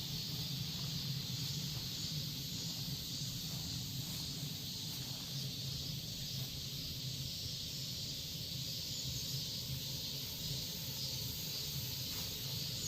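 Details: Korean cicadas drone in a strong, continuous high buzz that stays steady throughout, with a low background hum and a few faint ticks.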